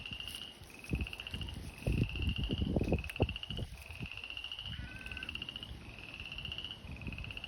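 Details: Frogs in spring filling an old abandoned fish pond that dries up in summer; steady pulsed trills about every second, one short wavering note, over low rustling and thumping noise.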